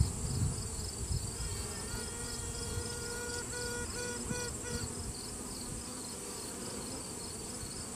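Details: Virgin honey bee queen inside a hive during a routine check, sounding off to assert dominance: several faint tonal toots with stacked harmonics repeat over about three seconds above a steady low colony hum, filmed on a cell phone.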